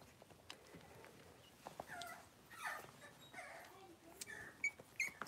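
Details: Young Cavalier King Charles Spaniel puppies playing indoors in their pen give several soft, wavering whimpers and whines in the middle of the stretch, ending with two sharp high squeaks, over rustling, scratching and tapping.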